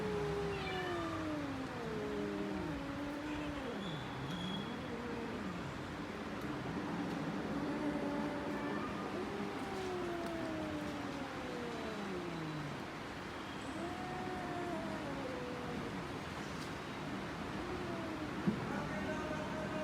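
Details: Domestic cat yowling in a long run of drawn-out, wavering cries that slide up and down, some swooping low then climbing again, with rich harmonics over steady low background hum.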